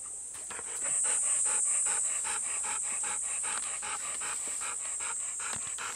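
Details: Golden Retriever panting in muggy summer heat during a morning walk with companions Bis and Kohaku. Even, rhythmic huffing breaths come roughly two to three per second, clear and close, against a constant shrill high drone.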